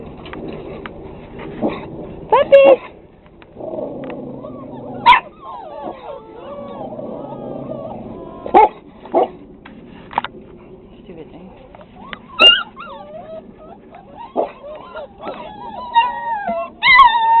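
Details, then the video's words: Six-week-old pit bull puppies bark with sharp, high yips and small barks, whimpering between, while a woman coos. "Puppies Barking"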